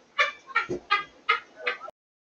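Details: Baby guinea pig named Squeaker bumping into her sister Yuzu and running off; five short harmonic squeaks repeated about every third of a second, bright and even, followed by silence.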